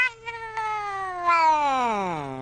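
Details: Cat producing a long wailing meow over two seconds, swelling midway and then sliding steadily downward in pitch toward the end.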